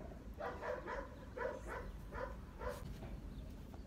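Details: Dog barking in a rapid series of short, harsh, mid-pitched barks about every half second. The barks are fairly faint, with a steady low background rumble.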